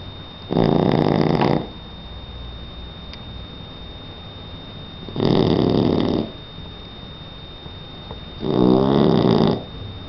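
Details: Asleep indoors, Donna the three-month-old Shar Pei puppy snores in three heavy, evenly spaced rasping inhalations, each about a second long and roughly four seconds apart, over a steady low hiss.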